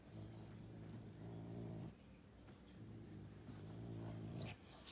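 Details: A caracal, fighting a serval, gives deep, rumbling growls in two long, sustained bursts with a brief pause between.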